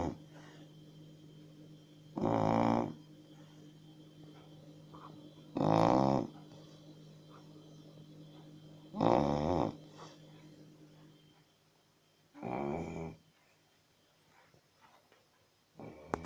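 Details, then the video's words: Snoring Chow Chow dog: regular rasping, throaty snores, each about half a second long, repeating roughly every three and a half seconds, five in all, with a faint steady hum between breaths. "Chrapiacy Snoring Chow Chow"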